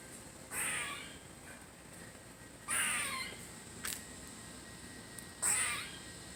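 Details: A squirrel having fun gives three harsh, noisy screeching bursts, each lasting under a second, spaced roughly two to three seconds apart, with a brief click between them over a faint steady background hiss.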